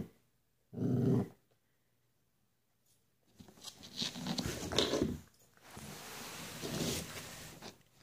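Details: A dog gives one short, loud, low burst, falls quiet, then growls and grumbles roughly for several seconds. The intensity rises and falls, with faint whimpering edges.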